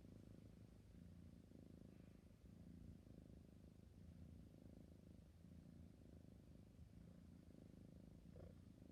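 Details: Drowsy kitten purrs continuously, a low even vibrating hum with gentle pulsing and a brief faint higher sound near the end.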